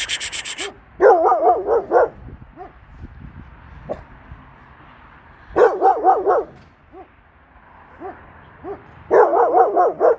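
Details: Kangal Nazo reacting to a stranger female dog that arrived in the neighbourhood, likely abandoned; three bursts of rapid, harsh barks separated by quiet gaps with scattered faint yelps.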